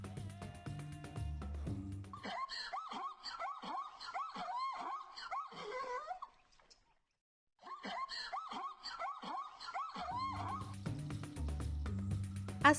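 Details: Zebra braying in two long bouts of rapid, yelping barks, about three per second, each a short, harsh, rising-then-falling note, broken by a brief silence; background music plays at the beginning and end.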